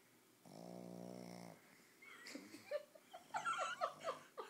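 A Boston Terrier snores with a low, buzzy rasp, then gives a run of snorting, grumbling breaths.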